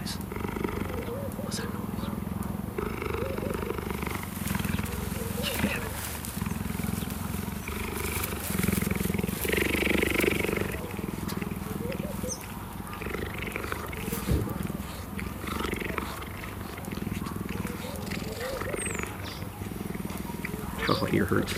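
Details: A male cheetah at a cheetah facility in South Africa purrs in a steady, low, rumbling throb as a sign of affection while greeting and grooming a familiar man lying on the ground, who talks nearby.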